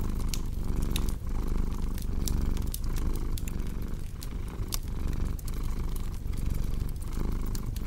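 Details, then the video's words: Strong, rolling cat purr repeating in breath-length pulses under a scatter of sharp crackles and snaps from a burning fire. "Purring Cat with Cozy Crackling Fireplace Sound"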